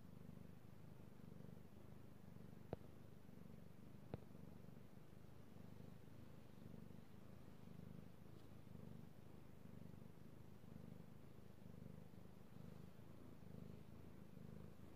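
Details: Domestic cat Io purrs contentedly as he is petted, recorded 16 March 2018; continuous low throbbing purr with rhythmic swells, two brief sharp clicks early on, otherwise quiet room.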